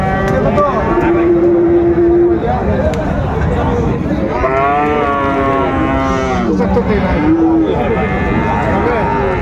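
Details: At Ambari livestock market in Dinajpur, 19 April 2024, Friesian and cross-breed bull calves: a rich, drawn-out moo with a wavering, slightly falling pitch rises midway through a steady din of bargaining voices and crowd noise.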